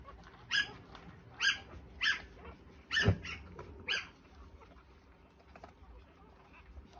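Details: Newborn Australian Shepherd puppies, three days old, giving six loud, short, high-pitched squeaks roughly every half second to second, one with a low thump, then quieter faint whimpers and background hiss.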